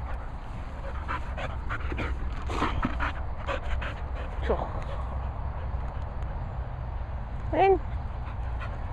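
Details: Cocker Spaniels Fin and Murphy at a dog training and boarding kennels in the Worcestershire countryside, England: rhythmic breathy panting bursts across the clip, a brief high rising whine near the end, a person talking over the dogs.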